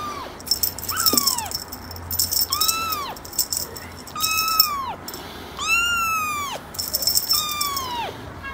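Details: Kitten meowing over and over, about eight high, arched mews roughly one second apart, each rising then dropping, with a faint rattling hiss in the background.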